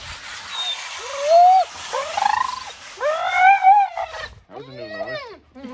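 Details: Large dog being groomed and brushed outdoors on a hot summer day, protesting with drawn-out, arching moans and howl-like groans, roughly four rising-then-falling calls in quick succession, the last one wavering, with a little human speech around them.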